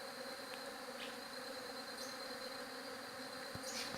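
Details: Steady droning buzz of bees with harmonic bands, a few quick ticks, and a burst of sharper noise at the close.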